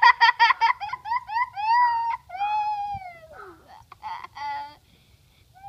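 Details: Great Pyrenees and Akita mix dog vocalizing indoors: a fast run of short yelping barks, then long wavering whines and howl-like moans that slide up and down, ending in a few yips.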